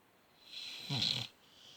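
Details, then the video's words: A sleeping dog gives a single rasping snore. A faint hiss builds up, then comes a short, louder breath with a low, rattling buzz. Nothing else is heard. "Snoring dog"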